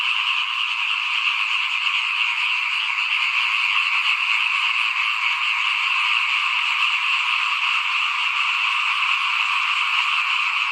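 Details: Frogs calling in front of a house during rice sowing, as fields are readied for planting in 2021; a dense, unbroken chorus of many overlapping croaks and trills holds steady throughout, with no other clear sounds.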